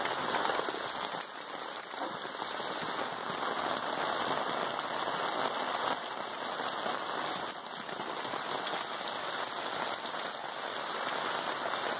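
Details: Steady rain patters on a hard surface throughout, with no animal sound heard.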